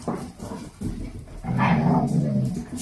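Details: Two-month-old Dalmatian puppies with their mother and grandmother, playing a wild game before sleep; low rumbling growls and scuffling, a longer growl from mid-clip to the end.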